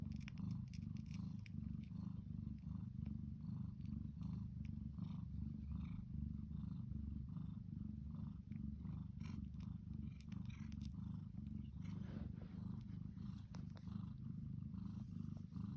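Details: Devon Rex mother cat purring steadily while nursing her two kittens, which squabble over teats; a continuous deep, rumbling purr pulsing in rapid even cycles throughout, with faint wet suckling and small clicks from the feeding kittens.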